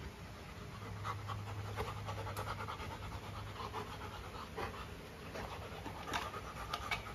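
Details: Golden Retriever named Luna, a pet dog, with her new carabao horn chew toy: rapid rhythmic panting breaths with soft broadband bursts, steady low hum in the background.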